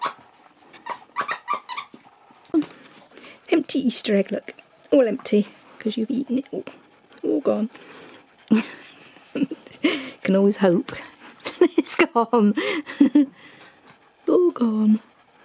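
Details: Indoors with his Easter egg, Nook the Husky keeps up a steady, chattering run of short whining, yodel-like vocal bursts with brief pauses between them, a talkative dog ignoring, then playing with, the egg.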